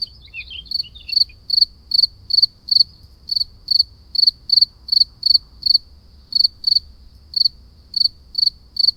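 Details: A cricket chirps steadily at night in short, high trilled pulses, repeating a little faster than twice a second.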